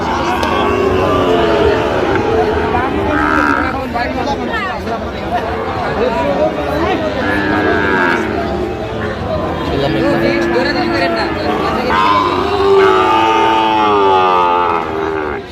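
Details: Sahiwal bull calves for sale at the Ambari cattle market, Dinajpur district, Bangladesh, on a Friday in January; two or three brief, steady moos rise out of a busy crowd with continuous loud speech close by.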